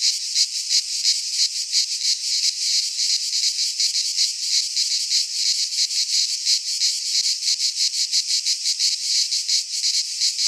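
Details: Cicadas in a Greek pine forest in midsummer, a dense chorus of harsh, buzzing rattles pulsing about three times a second, steady and unbroken, with no other animals or people heard.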